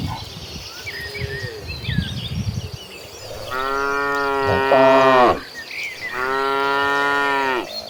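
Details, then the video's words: Agitated cattle in a herd heading toward green pastures: two long, loud, deep moos of about two seconds each, the first wavering near its end, after a quieter stretch with some rustling and faint bird calls. "An Agitated Herd of Cattle Running Toward Green Pastures, with the Sound of Mooing Cows."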